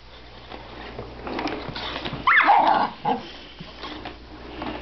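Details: Miniature Schnauzer indoors reacting to a vacuum cleaner: a single sharp whine midway, rising then sweeping down in pitch, over the steady low hum of the running machine with quieter shuffling before and after.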